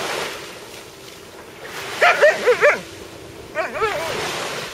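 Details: An Alaskan Malamute that discovered a sea robin gives four quick, bent yipping whines, then two softer ones a second later, over a steady hiss.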